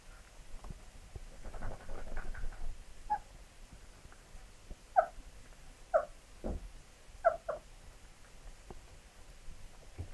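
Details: Labrador Retriever puppies giving short, squeaky calls, singly or in quick pairs, spaced a second or more apart against a quiet, low background hum.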